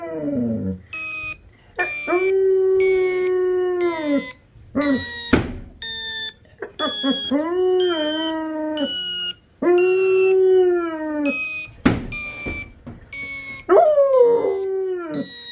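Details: Labrador Retriever. A young Labrador gives drawn-out howls, each lasting two to three seconds, bending upward then slowly falling, with brief whimpers and yips between. A high, steady electronic beeping sounds intermittently behind the dog.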